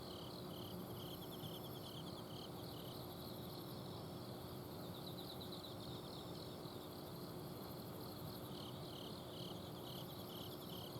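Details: Night chorus of autumn insects from a home garden in Azumino, Japan: evenly spaced short chirps and rippling trills run throughout, with a faint very high shimmering buzz above and a constant low air-conditioner outdoor-unit hum beneath.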